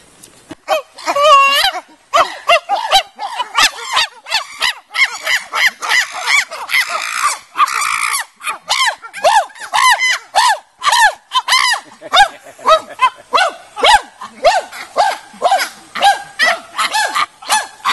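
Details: Captive chimpanzees at the Nigerian Chimpanzee Centre, Afi Mountain Drill Ranch, Nigeria, in a natural habitat enclosure, erupting into a loud, dense chorus of shrill screams and hoots, overlapping and nearly continuous for most of the stretch.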